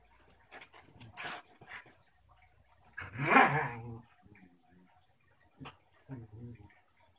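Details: Two dogs at play, a new German shepherd puppy and her six-year-old sister, a basenji pit bull mix: quick yips early, then a loud, harmonic growling whine midway, and short rough growls toward the end.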